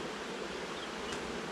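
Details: Honey bees of a swarm being tipped into a new hive, a loud broad hissing hum filling the whole short stretch with no clear pauses.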